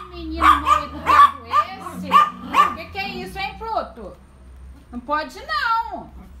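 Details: Miniature Yorkshire Terrier, fearful, at home. A string of quick yelps gives way to drawn-out falling whines, with a woman speaking alongside.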